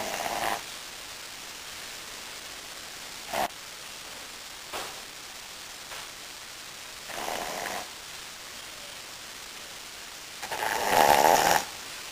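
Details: Sleeping Brussels Griffon Wilbur snores in his favorite position; a string of soft, breathy snorts recurring every few seconds builds to one longer, louder rattling snore near the end, all against faint indoor background hiss.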